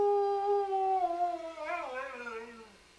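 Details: Sam the Welsh Springer Spaniel sings one howl that starts high and steady, wavers, then slides down in pitch and trails off over three seconds.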